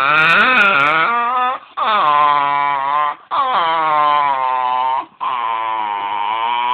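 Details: Domestic dog vocalizing to be stroked more, four sustained moaning whines in a row, each steady then bending upward at the end, separated by brief breaths, recorded indoors on a phone.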